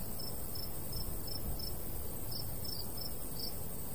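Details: Cricket chirps in summer countryside beside a wheat field with a light breeze: sharp high notes about three per second, some paired, over a steady low wind hiss.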